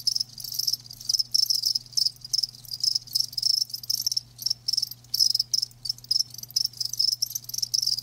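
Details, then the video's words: Live crickets producing a bright, high trilling chorus broken into repeated short bursts with brief silences, steady throughout, a faint low hum also present. "Live Crickets 60min "Natural Sound""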